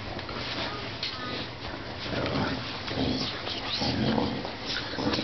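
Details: Two dogs, a 5-month-old blue pit bull and a 2-year-old 70-pound English bulldog, playing tug-of-war; low rumbling growls and short tonal grunts build in the second half over constant scuffling noise, with a person talking.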